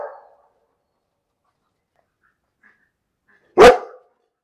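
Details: One loud, abrupt bark from a dog. It follows a faint clipped sound at the start and a long quiet stretch.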